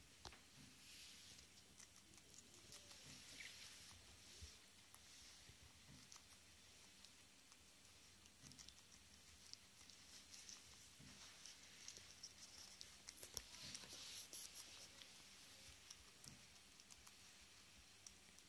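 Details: Sotan, a pet Swedish guinea pig, eating tomato or lettuce indoors while choosing a favourite food; crisp crunchy nibbling and munching clicks in irregular bursts, with a soft steady room background.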